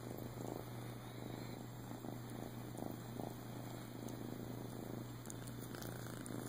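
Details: Male flame tip Siamese cat, a rescue dumped with his twin sister at a few weeks old and later adopted in Clearwater, Florida, purring steadily: a low, even rumbling pulse with soft crackles, close and continuous.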